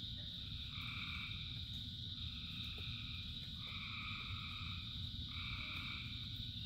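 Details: A rain-soaked frog chorus gives longer drawn-out droning croaks, about one-second notes spaced irregularly, layered over a continuous high insect-like hiss and low rumbling rainfall.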